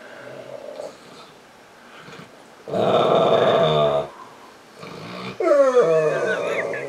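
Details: Misha, a female Saint Bernard on a couch, whines for attention, trying to get petted; a strong harmonic moan around three to four seconds, then a wavering, sliding whine near the end, with softer sounds between.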